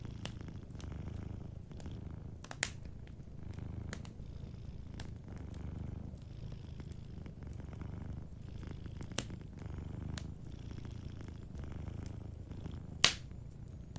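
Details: A cat asleep by a cozy fireplace purrs gently, its low throbbing rumble rising and falling in breath-length cycles of roughly two seconds, with scattered crackles and one loud pop from the burning fire.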